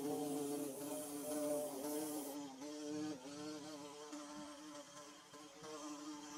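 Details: Nest-building bee droning close by, its low harmonic buzz rising and falling in pitch, under a bright hiss for the first two seconds before the hum stands out alone.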